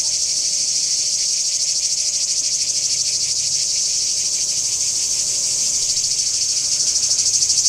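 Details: Singing cicadas at Kardamyli in 2013: a continuous, dense high-pitched buzzing that stays steady throughout, with a fine rapid pulsing and no pauses, and no other clear sounds.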